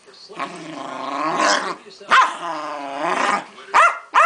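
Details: A pet female Keeshond named Pancake in a tantrum gives two drawn-out, quavering growl-moans of about a second and a half each, then short sharp barks.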